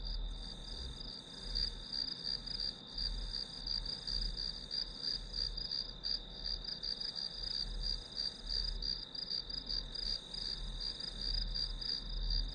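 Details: Grass insect sounds for a study session: dense, high-pitched pulsing chirps running continuously over a sustained shrill note, with a muffled low rumble in the background.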